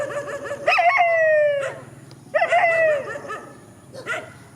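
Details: Countryside dogs in a field, two drawn-out wavering howls that start higher and slide downward, each about a second long, followed by a short yelp.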